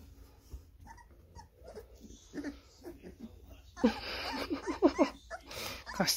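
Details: American Staffordshire Terrier attacking a person: scattered soft sounds, then a burst of short, harsh, yelping barks with strong harmonics packed closely together in the second half, with human voices mixed in.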